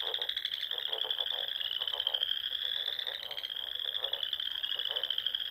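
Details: Wild frogs singing at dusk in spring among ponds and small lakes in the rolling dunes of the Sandhills, Nebraska: a dense, steady, shrill high trilling chorus runs throughout, with lower pulsed croaks repeating beneath it.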